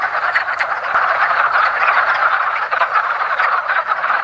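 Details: At a woodland pond in early spring, mating wood frogs fill the air with a thick mass of hoarse, quacking croaks, steady and unbroken, a few nearer calls briefly popping above the crowd.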